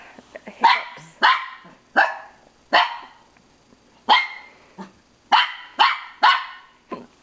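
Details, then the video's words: Pet dog barking at his own reflection in a mirror: sharp, loud barks in irregular bursts, about nine over seven seconds, some in quick pairs, with a person talking to him around them. "barking at himself in mirror"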